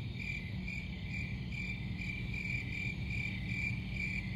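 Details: Crickets chirping in a steady, high pulsed trill that pulses rapidly without pause, over a constant low rumble.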